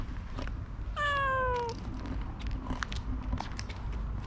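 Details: Domestic cat, one of a pair described as a clingy Ragdoll and a shy Siamese, gives a single clear, drawn-out meow that falls slightly in pitch, about three quarters of a second long, over a low steady rumble and scattered clicks.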